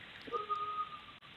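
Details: A grey wolf pack at a wildlife park gives long, steady, flat howls, heard by phone, singing in response to hearing their familiar keeper's voice, calling him to come up and say hello.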